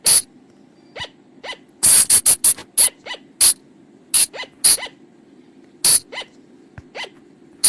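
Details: Wild flying lemur call used to lure the animals at night: sharp broadband clicks mixed with short upward-sweeping chirps, irregularly spaced, some in quick bursts, over a steady low hum.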